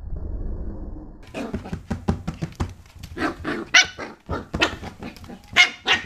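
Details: Pembroke Welsh Corgi puppy play-fighting with a hand in 2014, giving a burst of sharp, high yapping barks mixed with rough growly notes, irregular and rapid, over thumps and scuffling from the play.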